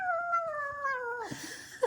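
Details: Pet kitten at home, eating: one drawn-out meow with clear stacked harmonics, starting high and gliding slowly downward for over a second before breaking off, followed by a brief rustle and faint noise.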